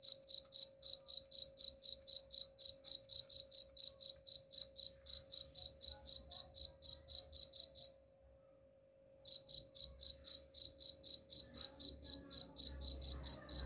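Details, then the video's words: Cricket, used as a rat-repelling sound, chirping in rapid high pulses about four a second; the chirps stop for about a second midway, then return over a faint low rumble toward the end. "suara jangkrik pengusir tikus ampuh"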